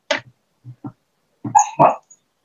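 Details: Pet dog barking in its sleep while dreaming, indoors in the room: a few short, soft, muffled woofs spread over two seconds, the last two fuller and louder with a faint high tone above.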